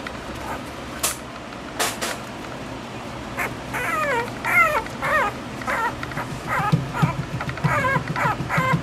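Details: Toy poodle puppy giving a run of high, thin whining whimpers, each sliding downward with bright overtones, repeated irregularly about every half second after two sharp clicks near the start.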